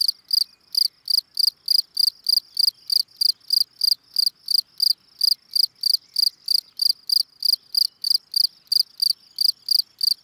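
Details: Gryllus campestris, the field cricket, calling: a run of bright, piercing chirps at an even pace of roughly three per second, clean and uninterrupted with no other sounds.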